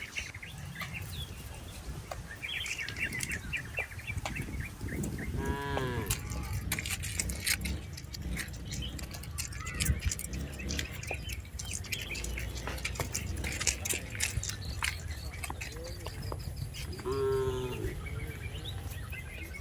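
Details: Cattle herded in a rice-field pasture, giving two short, deep moos that rise and fall, several seconds apart. Busy bird chirping, scattered clicks and constant outdoor background noise run throughout.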